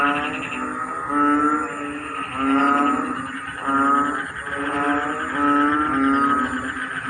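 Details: Frogs chorusing in a rice field during the rainy season, a dense mass of low, harmonic, droning calls that swell and fade in waves roughly every one and a half seconds, steady and continuous throughout.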